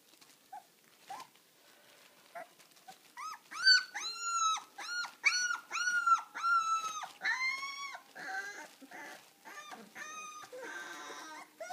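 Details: Deutsch Drahthaar from a hunting-dog kennel in Bucharest, Romania, lets out a run of high, arching whines and yelps, about one per second, after scattered clicks and scuffles, fading into rougher broken whimpers.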